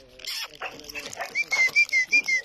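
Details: Dobermann dog giving a run of five thin, high whines, each a short steady whistle-like tone sliding slightly downward, following a few seconds of a person talking and coaxing it.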